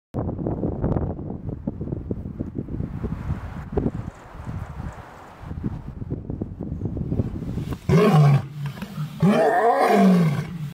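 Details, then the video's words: White tigers playing at a refuge, siblings recovering from metabolic bone disease; rumbling low growls and chuffs through the first seconds, then two loud roaring bursts with rising and falling tones near the end. "Playful White Tigers"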